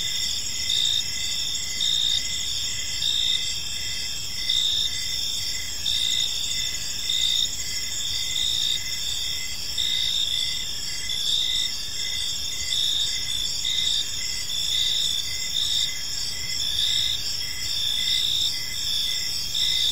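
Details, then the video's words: Evening chorus of crickets in a quiet park, continuous high shrill chirping with regular pulsing bursts about once a second, multiple callers overlapping above a soft low rumble of ambient noise. "Park Serenade: Cricket Sounds in a Peaceful Park | Evening Ambience"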